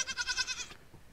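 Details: Nigerian Dwarf goat kid on its first day, giving one short, high, tremulous bleat with a fast quavering pulse that lasts under a second and then breaks off into quiet background.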